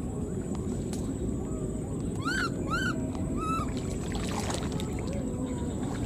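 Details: Wild newborn baby monkey, left behind, calling for its mother: three arched, harmonic-rich squealing calls rising then falling, spaced about half a second apart, over steady low rumbling background noise.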